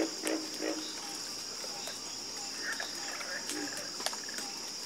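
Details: Frog croaking in a calm chorus, a few quick low croaks at the start and scattered calls later, over a persistent shrill hum of insects.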